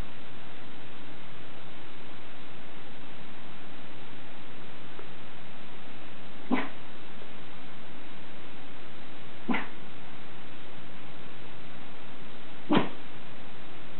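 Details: Captain Jack Sparrow, a Schipperke, guarding the house with three short, sharp barks spaced about three seconds apart in the second half, over a constant low hiss.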